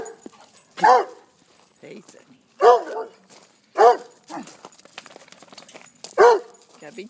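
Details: Frankie, a big puppy, playing with foster puppies; four sharp barks spaced about one to two seconds apart, with quieter yips and a person's voice between them.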